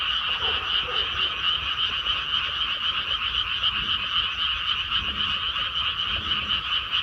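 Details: Unbroken frog chorus from a newly planted rice paddy, innumerable quick scratchy croaks merging into a thick pulsing buzz across a middle and higher band, with faint scattered low notes beneath.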